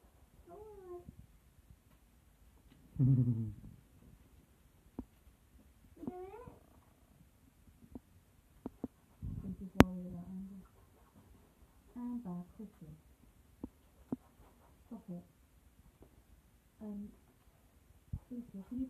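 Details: Two young kittens, one black, playing together indoors as the household's newest pets; soft short meows with rising and falling tones come every few seconds, mixed with thumps from play and people chatting nearby in a small room.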